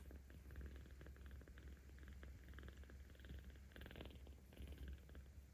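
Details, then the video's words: Kitten Aochan, 17 days old, in volunteer care in Tama City, Tokyo, recorded 10 October 2022, rumbling more loudly as it is stroked; continuous deep, throbbing purr with light handling noises over it. "なでるとゴロゴロ音がUPする赤ちゃん猫 生後17日"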